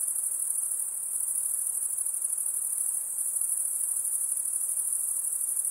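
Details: A steady high, piercing insect buzz that holds at one level the whole time, with a slight pulsing shimmer and low background hiss.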